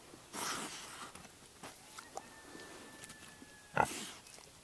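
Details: Two friendly boars, a roughly 4.5-month-old purebred Berkshire named LT and a mature Large Black named Tater, recorded October 26, 2012: a breathy snort near the start, a faint thin tone, then a sharp louder snort near the end.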